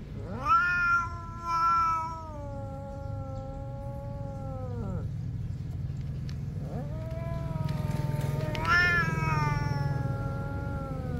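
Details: Quarrelling cats competing with each other: a long level caterwaul held about four seconds and cut off abruptly, a pause filled with low hum, then a rising yowl that swells and wavers toward the end.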